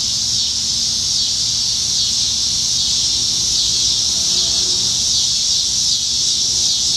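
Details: High, unbroken droning buzz from many cicadas in the trees on a July 2019 summer evening in Nebraska, the chorus holding steady and loud throughout with only slight wavering.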